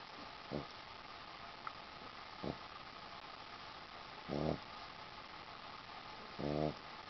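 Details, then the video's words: Boston Terrier dog asleep on a sheepskin, snoring indoors: short, low, rough breaths about every two seconds, the later ones louder and more rasping, with a quiet steady background hum. "dog snores"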